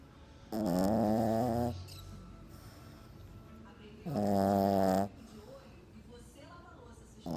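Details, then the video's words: French Bulldog asleep deeply in a lap, held there for the first time and very relaxed: two loud, buzzy, rasping snores about a second long, spaced several seconds apart, with quiet breathing between. "Bulldog Francês roncando muito"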